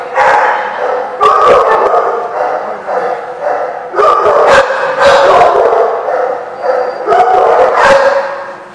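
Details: Dogs barking at a dog lot in November, sharp repeated barks and yips overlapping in bursts, loud and close, with brief gaps between volleys.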